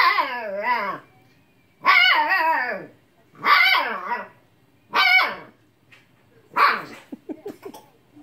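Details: Husky puppy yelling at a lazy old housemate cat that won't play, giving five drawn-out, wavering bark-howls roughly every one and a half seconds, each rich in harmonics, with a few short yips closing the sequence.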